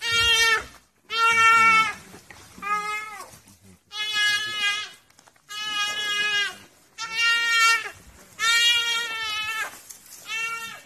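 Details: A duiker gives loud, nasal bleating distress cries in repeated bursts about a second long as African wild dogs pull it out of the water. Finding: duiker.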